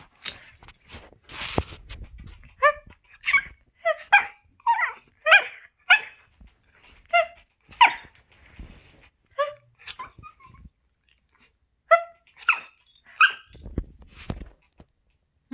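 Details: A male pet chiweenie, vocal about his feelings while his owner communicates with him: a long run of short, high, tonal yips and barks, roughly one every half second, with brief pauses and a few soft noises.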